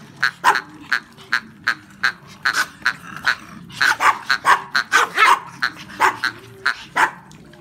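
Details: Sharp, shrill yaps from Brussels Griffon hunting dogs out duck hunting, repeated roughly twice a second, crowding into a faster flurry of overlapping barks midway before easing back to single yaps.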